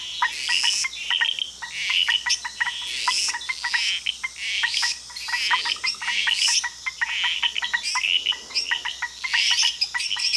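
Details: Frog chorus in Costa Rica: many overlapping sharp chirps and clicks, some high whistled notes, densely repeated with bursts of stronger calling every few seconds.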